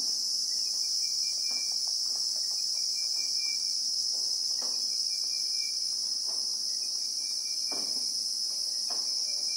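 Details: Christmas beetle (Anoplognathus) chorus in South African bushveld with acacia trees, recorded in real time: a steady, shrill, unbroken high-pitched drone with a second thinner band above it, over faint scattered clicks and a thin high whistle.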